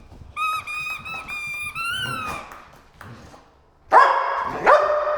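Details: Dogs at play with squeaky toys, a group of three pit bulls and a Malinois: a run of high, harmonic toy squeaks, then two loud, harsh barks near the end.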